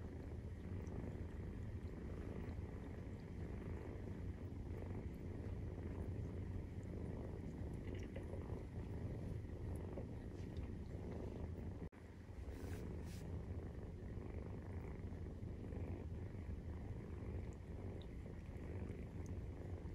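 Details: Maine Coon cats purring during nursing, 43 days after the kittens' birth: a steady, deep, rumbling purr throughout. The sound cuts out briefly near the middle, followed by a faint, high, thin tone.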